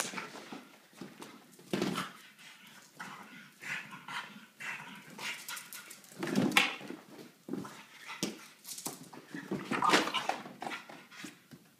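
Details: Ten-month-old male French Bulldog playing with his favorite giant yellow ball indoors; a busy run of short, broadband snuffly bursts and thin whimpers, irregular, some rising sharply at about two and six seconds, mixed with scuffing from play.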